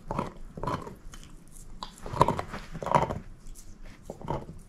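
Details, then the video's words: Moose, a female shepherd mix dog, gnawing on a bone indoors: loud broadband crunching bursts about every half second to second, with quieter wet gnawing between bites and no talking. "SHEPHERD EATING BONE ASMR"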